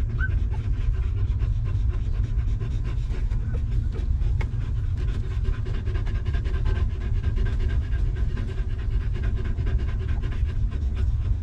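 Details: Stray mother dog with her litter of puppies, living rough before being given shelter and food; quick, breathy panting runs steadily throughout, with a brief high squeak near the start, over a constant deep low rumble.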